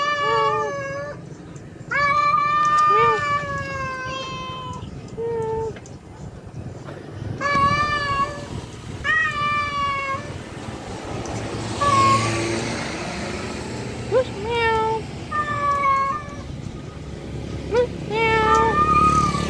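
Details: Male cat calling a feral female during mating: many wailing meows, some long and steady, others short with sharp upward and downward bends, coming in irregular bursts over low rumbling background noise.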